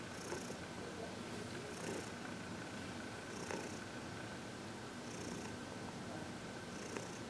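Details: Heidi, a happy 14-year-old senior cat adopted from the Humane Society of New York City, purrs during massage and reiki; low continuous purring in a quiet room with soft hissing bursts recurring every couple of seconds.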